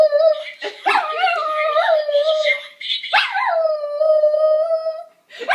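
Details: Pet dog howling in response to a smoke detector; sustained wavering howls with rich overtones, one long howl rising then held steady for about two seconds, brief yips between, and a new howl starting at the end.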